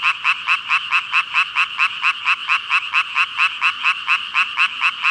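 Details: A chorus of thousands of frogs, given as 5,000: rapid, regular croaking pulses at a bright mid-high pitch, repeating a little over twice a second with little else heard.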